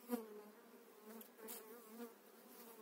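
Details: Steady humming of honey bees during a spring 2018 transfer of an eight-frame colony into a new hive, with a few soft knocks and rustles over the buzz.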